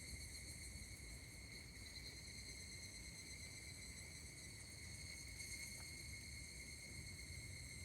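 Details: Higurashi cicadas at Kashima Jingu shrine in Kashima, Ibaraki Prefecture, Japan, recorded 16 August 2024: a continuous, soft, high ringing tone with layered overtones, steady throughout, over a low background rumble.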